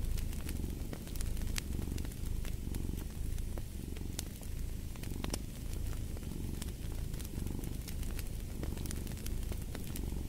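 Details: Cat purr layered over fireplace ambience, the deep continuous rumble rising and falling in slow breathing cycles while frequent wood crackles snap above it.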